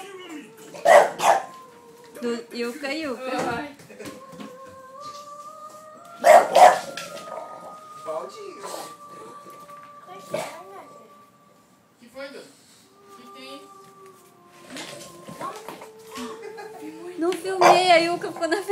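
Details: An English Bulldog, startled when someone touched a laundry basket, gives loud, hoarse barks in short bursts, with a person speaking nearby.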